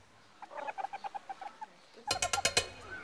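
Meerkats give a quick run of short, soft chirps, followed by louder, harsher pulsed bursts.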